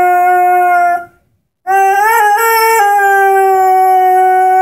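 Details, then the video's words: A young Airedale Terrier, 10-month-old Henry, howls along while playing with his orange squeaky ball; a held steady tone, a short pause, then a rising, wobbling note that settles into a long even howl. "Henry, the singing Airedale"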